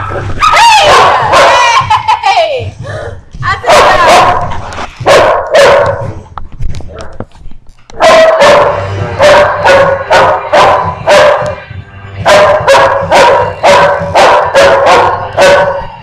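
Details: Dog giving excited yelping, whining sounds that shift in pitch during the first few seconds, then a quieter stretch, followed by a fast run of sharp, regular barks through the second half.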